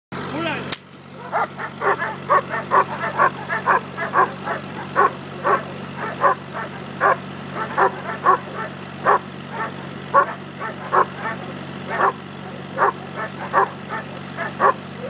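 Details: German Shepherd from working bloodlines doing Schutzhund bite work at a club in Temecula Valley, California, worked by its handler. Loud, rapid barks come in a steady series, about one every second, over a constant low hum.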